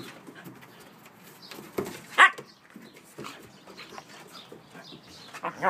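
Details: Siberian Huskies Bella, four months, and Hunter, eight months, in rough play, where Bella is the loud one. Low rumbling grumbles run under one sudden high yelp, then short scattered vocal bursts and a final squeal.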